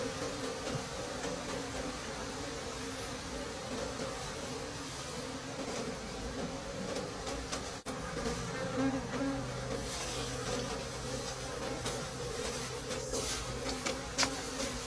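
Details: Steady humming drone of wild bees at a late-season forest honey harvest, an unbroken buzz at constant pitch beneath broadband rustling noise, interrupted by a sharp click near the middle.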